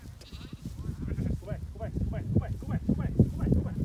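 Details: A small flock of rare Cladoir sheep in Connemara, Ireland, descends from the mountain while a person calls them in. A string of quavering, vibrato bleats rises over low murmuring voices and shuffling ground noise.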